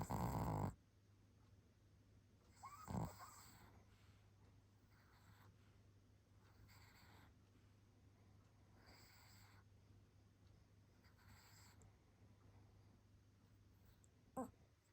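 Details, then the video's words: Pomeranian named Baek Seoltang, asleep and snoring: faint, breathy snores recur roughly every two seconds over a steady low hum, with a loud burst at the start and another short sharp noise near three seconds. "코골이 장인 백설탕"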